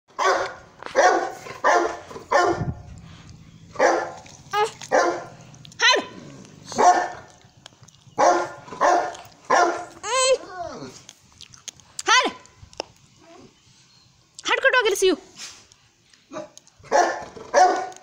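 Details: Sultan, a Saint Bernard, barks in deep, broad bursts, roughly one or two per second. Several high, arching whine-like yelps break in around the middle and near the end, with faint voices in the background.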